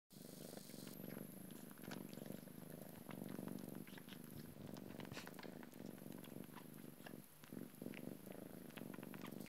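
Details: A Devon Rex mother cat purrs steadily, a low rumbling throb that barely pauses, while her 9-month-old daughter suckles.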